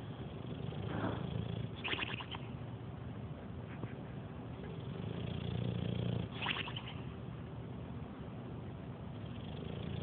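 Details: A 7-year-old male English Bulldog snores very loudly while sleeping on the couch, a deep rumbling drone with rasping, snorting surges.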